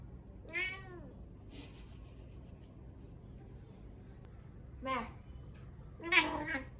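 A Dragon Li cat gives three short, arching meows with bright harmonics, spaced a few seconds apart.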